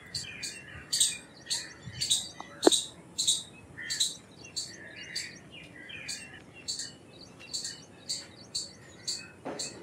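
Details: Indian palm squirrel calling: sharp, high, clipped chips repeated roughly twice a second in a steady chattering series, with softer bird whistles and chirps in the background.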